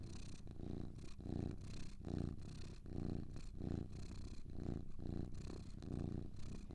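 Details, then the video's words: Low, throaty purring of two cats, a rhythmic hum swelling on each breath at close to one-second intervals, even and unbroken across the stretch. "Two Cats Purring"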